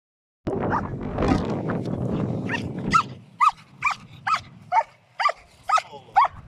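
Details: Ramiz, a German Shepherd, barks while confronting a giant cow outdoors. After about three seconds of rumbling noise, sharp barks repeat roughly twice a second in a steady run.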